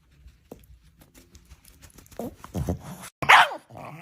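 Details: Pet dog indoors at bedtime, restless and vocalizing. Soft grunting murmurs build into a short, sharp, high whining yelp near the end, with a woman talking to it in Russian.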